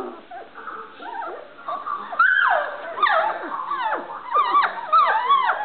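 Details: Standard Poodle puppies at play, learning to bark, give a run of high, wavering yelps and whines that rise and fall, growing louder and more frequent in the second half indoors.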